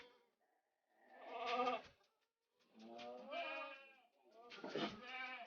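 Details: Bleating from a long-eared Jamnapari goat kid with red colouring, kept on a village goat farm: three drawn-out, quavering cries about a second apart, with people talking softly around it.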